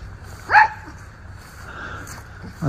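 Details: Miniature Schnauzer brothers romp in their leafy yard in mid-October 2024, Aroostook County, Maine: one short, sharp bark rises and falls, followed by quiet outdoor background hiss.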